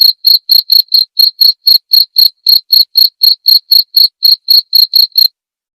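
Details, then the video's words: Clean cricket chirping used as a master recording for training white-rumped shamas: about twenty crisp, shrill pulses at a quick even pace of roughly four per second, then stopping abruptly into silence near the end. "masteran suara jangkrik jernih!"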